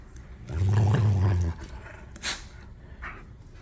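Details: German Shepherds, a young puppy and an older dog, squabbling over a toy; a single deep, steady growl lasting about a second, then faint rustling and a soft voice.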